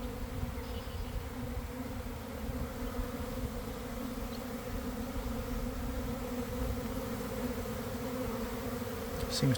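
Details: Honey bee swarm recorded from inside as it forms near garden hives around one in the afternoon, after a week of cold, damp weather: a dense, steady low drone with two even hum bands, unbroken throughout.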